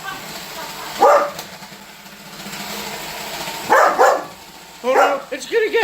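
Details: Holder the Weimaraner, annoyed by a Roomba robot vacuum, lets out a single bark, then a pair of barks several seconds later. A brief voiced, wavering sound follows, with the vacuum humming underneath.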